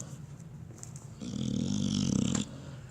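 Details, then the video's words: A pet dog, one of two snoring dogs, gives one loud rumbling snore of about a second. It is low and throaty with a fast fluttering vibration, framed by quieter breathing before and after. "2 snoring DOGS"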